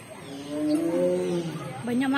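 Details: Sumatran tiger roaring: a drawn-out tonal moan that swells and slowly falls, then a shorter rising call at the end.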